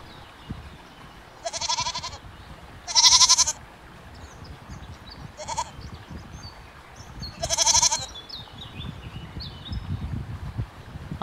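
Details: Goats giving several short, wavering bleats of different pitches, separated by gaps filled with a low background rumble and rustling.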